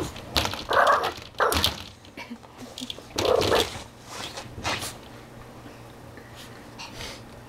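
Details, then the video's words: Chihuahua named Molly meeting a tegu lizard, giving several sharp barks in short bursts near the start and middle, with a woman laughing and talking between them. "tegu/chihuahua interaction!"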